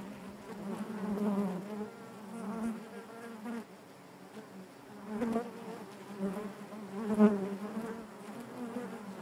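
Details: Inside a honey bee hive, the colony drones in a continuous layered hum, its loudness rising and dipping every few seconds, strongest near the start and again toward the end.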